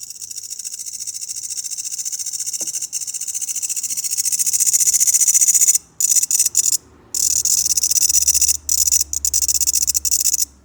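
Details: Grasshoppers giving a loud, high, ticking buzz that grows steadily stronger, then is cut into short bursts by several abrupt silent gaps.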